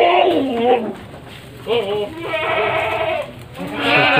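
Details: Male goats kept for Qurban on a farm of 25 goats (21 bucks, 4 breeding does) in Nglebeng village, Konang, Panggul, Trenggalek; wavering, tremulous bleats rise and fall in several bursts, mixed with people talking nearby.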